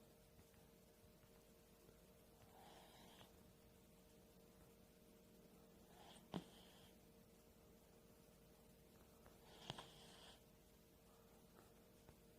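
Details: Sleeping dog snoring in a quiet indoor room: soft, breathy rasping snores come roughly every three to four seconds, with a faint, steady electrical hum underneath.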